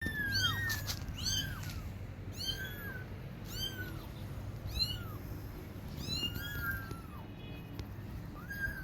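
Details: Kittens crying for their mother and calling for milk: repeated high, thin mews, each arching up then falling, about nine over nine seconds, some overlapping, over a steady low hum.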